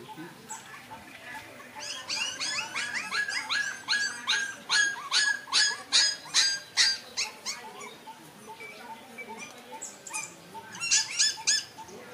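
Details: Puppies from a litter of five, one of them white, give a dense run of high, harmonic whimpering yelps, several every second, with overlapping voices and a few quieter squeaks at the start and end.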